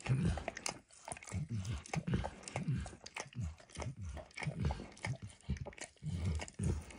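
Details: Max, a pet dog, licks food from a bumpy orange mat: quick wet, smacking laps in a steady run, several per second with brief gaps, close and low-pitched, no talking.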